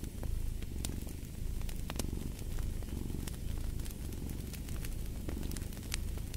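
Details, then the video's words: Low, droning purr of a cat rising and falling in slow breathing cycles, partly masked by a crackling fireplace with frequent bright snaps of burning wood. "Purring of a Cat"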